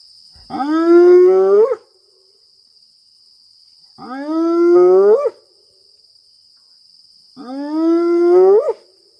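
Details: A lone spotted hyena at night, pacing the fence line just meters away at Maroela Camp, Kruger, South Africa, April 2024, gives three long, hollow whoops, each sliding upward, spaced a few seconds apart.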